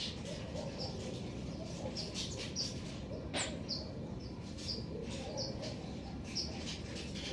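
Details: Garden recording of black-tufted marmosets: thin, high whistled chirps, some sliding downward, come every second or so, with a steady low hum underneath and one sharp click midway.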